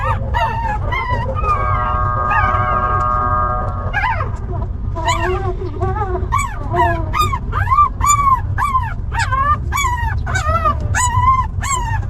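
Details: Puppies of a stray mother dog, handled after being picked up: high arched squeals and whines, at first slower with a long wavering whine, then rapid repeated yelps, over a constant low rumble.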